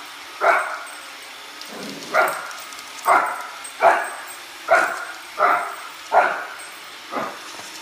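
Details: Upset at a Roomba, Shih Tzu puppy Oliver lets out a series of high, clipped barks, about eight spaced under a second apart, against continuous robot-vacuum noise.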